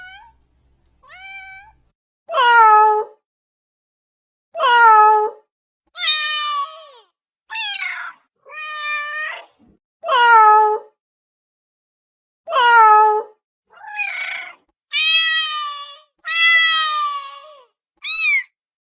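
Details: A house cat meows insistently, wanting attention right away: about a dozen harmonic meows, mostly falling in pitch, some rising and high, spaced unevenly over the span with quiet pauses between.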